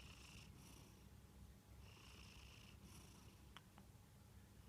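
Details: Kantaro, a Munchkin cat, snoring while asleep; soft breathy hissing snores come in bursts about every one to two seconds over a steady low indoor hum, with a couple of faint clicks near the end.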